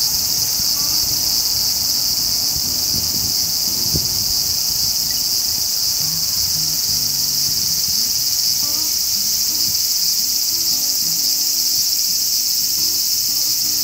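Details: Large brown cicada (Graptopsaltria nigrofuscata) sizzling continuously at high pitch, unchanging across the recording, with faint low background hum and a few distant soft tonal notes.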